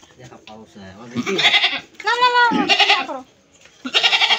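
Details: Goat giving several harsh, quavering bleats in short bursts, the clearest a strong wavering cry in the middle, mixed with people talking nearby in Bengali.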